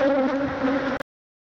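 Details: Swarm of thousands of Africanized honey bees attacking and stinging a man who tries to remove their hive; a dense, steady droning buzz with a strong low hum and rich overtones lasts about one second, then cuts off abruptly.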